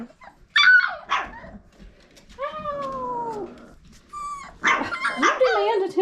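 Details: Five-week-old Old Family Red Nose Pit Bull puppies from Abby and Ragnar's litter give high, bending whines and yelps, some falling in pitch, while a woman talks to them in an affectionate voice.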